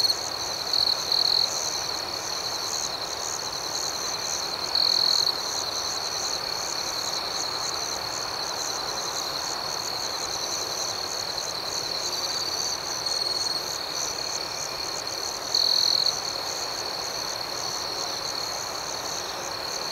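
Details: A night chorus of crickets, an unbroken high ringing and quick steady pulsing, with a few brief louder trills at intervals of several seconds.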